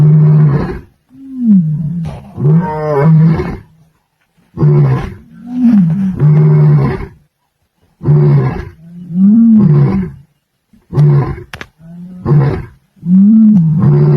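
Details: A male lion in the Masai Mara roars in a deep, booming series of moaning calls, each lasting one to two seconds, while patrolling his territory on the plains.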